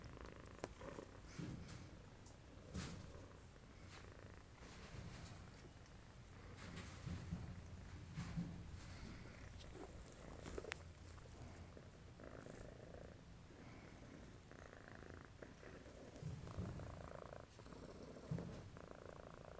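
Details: Domestic shorthair tomcat, FIV positive after his health check and needing an indoor-only home, purring in a deep, pulsing rumble that swells and fades in waves, with occasional soft rustling.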